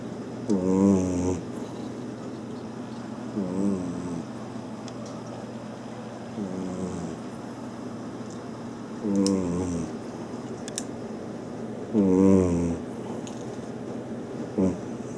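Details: Maine Coon cat named Mira snoring in her sleep, loud like a person's snore; harmonic, buzzy snores with a slight wavering pitch recur every few seconds, some stronger than others, over a steady low room hum.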